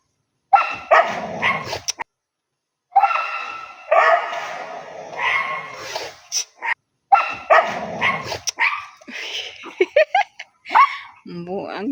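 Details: Dog barking in three loud, dense bursts separated by short silences, each burst holding a rapid run of harsh, clustered barks and yips, with a brief higher whine near the end.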